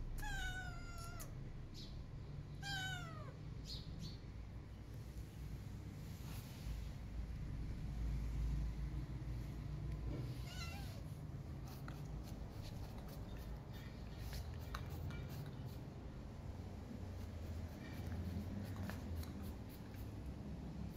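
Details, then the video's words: Feral mother cat calling for food while her kitten is missing: two drawn-out, descending meows within the first four seconds, followed by steady low rumbling background noise and scattered clicks. "Feral Cat Maya Calling Me For Food When Her Kitty Is Missing"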